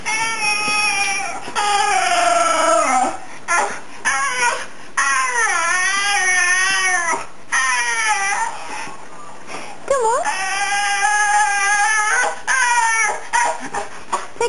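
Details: Lassie, a female Fox Terrier cross of 9-10 years, answers her owner with loud, sustained, wobbling yowls and whines that sweep up and down, broken into phrases by brief gaps. A man's voice calls her a good girl.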